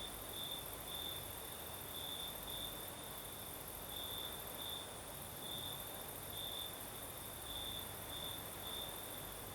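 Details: Crickets singing at night in the south of Crimea, with a night breeze: a steady high trill broken into bright pulses of chirping, over a constant broad hiss of breeze and a faint even band higher up.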